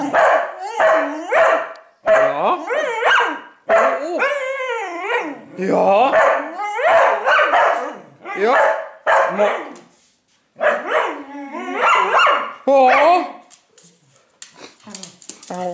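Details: Dog giving high, harmonic yapping barks in rapid clustered bursts, a brief silence near the tenth second, then more excited barks before trailing off into quieter scattered noises.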